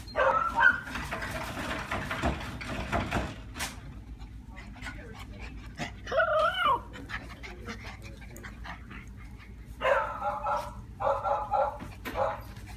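Golden retriever and miniature schnauzer cross puppies whimper and yelp in short, high, wavering bursts.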